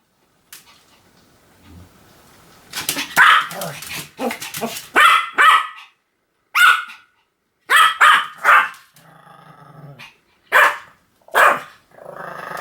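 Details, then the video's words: A Pomeranian yaps in quick uneven runs of shrill barks, some doubled, separated by brief silences, after a quiet start. "犬の鳴き声 ポメラニアン 1000回吠え"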